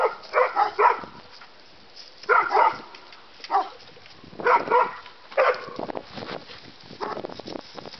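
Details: A terrier mix and a bulldog at play, producing short doubled barks and yelps in separate bursts about a second apart, with quiet gaps and faint scuffling between them.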